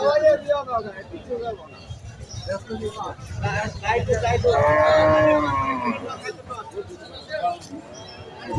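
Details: Cow offered for sale at a Bangladeshi cattle market gives a long, drawn-out moo midway, with a falling harmonic tone, while men talk and bargain loudly around it.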